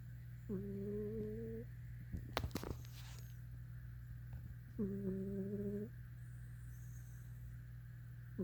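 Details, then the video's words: Cat snoring in a small room, two drawn-out humming breaths with a slightly whistly tone about four seconds apart, a burst of clattering noise between them, and a steady low mains hum beneath. "snoring cat!"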